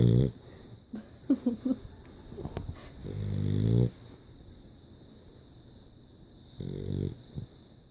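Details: Dog snoring in deep, throaty rumbling breaths, a short snort at the start, a louder drawn-out snore around the middle and a shorter one later, with small snuffles and clicks between and a faint steady hum behind.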